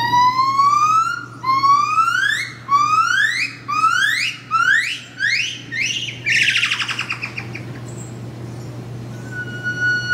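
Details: A buff-cheeked gibbon pair at Phoenix Zoo, a black male and a blonde female, vocalizing: a series of rising, siren-like whoops that quicken and end in a rapid twitter.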